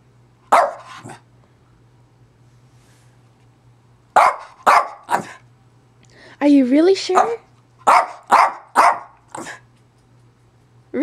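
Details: Zoey, a pet dog indoors at home, gives sharp barks singly and in quick bursts of two or three, with a drawn-out wavering vocal sound in the middle, while her owner talks to her between outbursts in a quiet room with a low hum.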